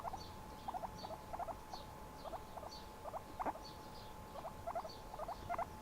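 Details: Domestic guinea pig at ease near a person's shoulder, uttering brief squeaky upswept notes mostly in quick pairs and triplets, spaced by short pauses, with a constant background hum.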